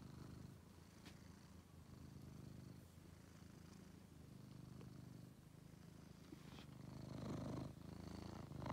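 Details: Purring male house cat Angelus, rescued from a basement where he was found sick and extremely thin; a close, even, rhythmic rumble of inhaled and exhaled pulses, swelling slightly louder toward the end.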